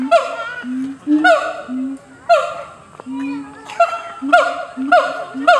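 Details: Siamang at Chiba Zoological Park, recorded 15 July 2013, giving loud rhythmic calls: low booming notes alternate with sharp barking whoops, repeating in bursts roughly every second, with faint voices in the background.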